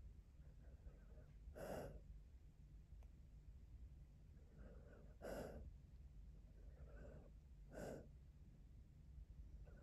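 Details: Manfred, a Cocker Spaniel, sleeping and dreaming while curled in a lap on a couch: three soft, breathy huffs or snorts spaced a few seconds apart, with faint sighing breaths between them and a quiet indoor background.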